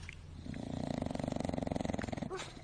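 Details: Pet dog snoring, a rapid rattling pulsed snore of low fluttering breaths running steadily for about two seconds, with a brief squeak near the start.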